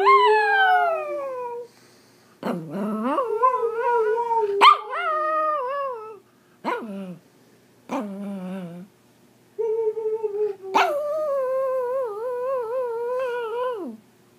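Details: A Pomeranian in India singing in a series of wavering howls and yelping whines. Several rise steeply, others quaver and drop. Brief sharp yips break up the longer notes, with pauses between phrases.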